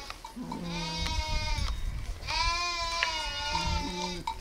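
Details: Sheep or lambs bleating: two long, wavering, nasal bleats with a shorter, lower bleat before and after each, against a low rumbling background.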